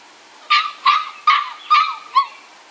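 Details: Six-week-old bulldog puppies from a Felony X Noah litter, described as rowdy, give five sharp high yips about every 0.4 seconds, each with a bright tonal core and a slight downward bend.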